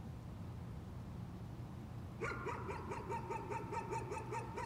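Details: Repetitive nuisance barking from a dog breaks in after two seconds of low hum, then a rapid string of about ten short, evenly spaced barks.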